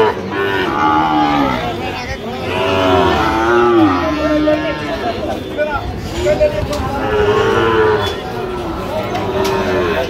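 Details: Sahiwal breed bull calves in Barishal, 22 September 2025, at a market where farmers buy stock: drawn-out lowing moos that rise and fall, overlapping one another amid human talk and crowd murmur.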